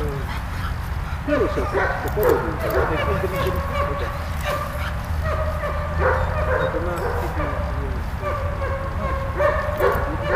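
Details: Malta the dog playing with Bulat: a steady run of high, tonal whines and yips, repeated about twice a second, over a constant low rumbling hum.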